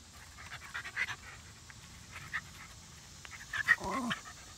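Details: Panting from rat terrier Zimbu during play time with sister Nalla, soft rhythmic breaths with a few louder huffs and a short squeak near the end.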